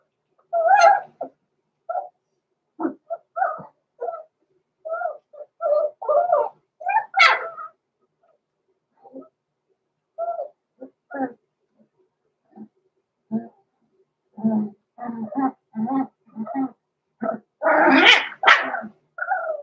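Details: Roman and Blue, six-week-old blenheim Cavalier King Charles Spaniel puppies born November 14, 2022, kept in an indoor pen. A long run of rapid, uneven yips and squeaky whimpers, with a burst of harsher barking near the end.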